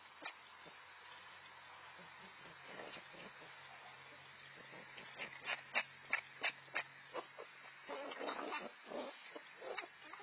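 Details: Two red fox siblings aged four to five months, newly independent, fighting over food; harsh bursts of chattering clicks and short screechy yelps in rapid irregular series, loudest in the middle, with soft rustling between.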